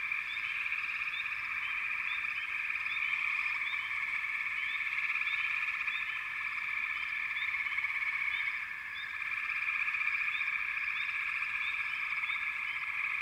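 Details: Many frogs call at once in a dense, shimmering high chorus. Quick rising chirps sprinkle through it, and there is a short dip in loudness about two-thirds of the way through.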